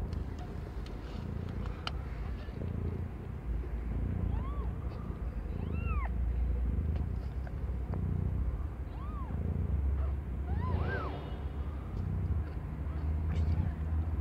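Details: Domestic cat named Aimee, under one year old, giving birth to five kittens of differing colours; several short, high, arched mews come singly at irregular gaps over a steady low rumble.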